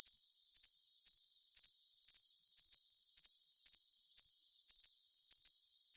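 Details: Cricket chirping for tinnitus masking: short, high, pulsed chirps in quick bursts, roughly two each second, over a steady bright hiss, with nothing heard in the low range.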